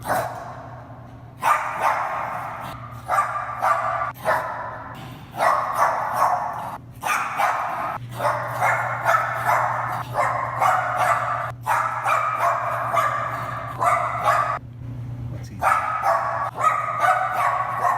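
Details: Male Bichon Frise barking excitedly in a garage, off the leash and overjoyed while his brother stays leashed; rapid, uneven runs of sharp mid-pitched barks, two to three per second with short pauses, over a constant low hum.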